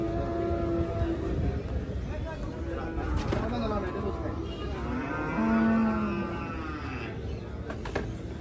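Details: Cattle being unloaded from a truck at Hazratpur cattle market, Bangladesh: drawn-out harmonic moos rising and falling amid crowd chatter, engine rumble and banging, with a man speaking nearby.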